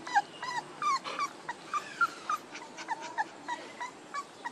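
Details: Fainter, quick high whines and yips from one-month-old puppies, one month and two days, tumbling over each other in a fast, irregular patter against low hiss.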